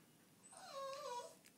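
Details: Small Lhasa Apso dog, vocal and happy, eager to go for a walk, giving a single brief, rising then falling nasal whine of under a second, quiet against a calm indoor background.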